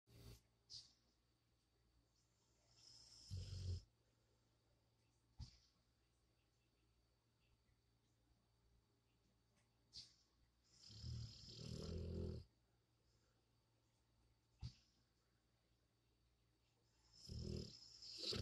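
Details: Sleeping pet dog snoring, with short rasping breaths every few seconds and longer, louder rumbling snores between quiet pauses indoors.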